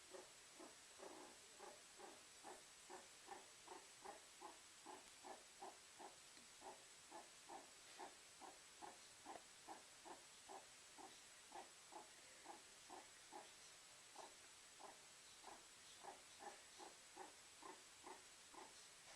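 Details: A meerkat basks by the fireplace in a small room and utters a long run of brief, soft rhythmic call notes, about two or three each second, steady and evenly pulsed over a quiet hissing background.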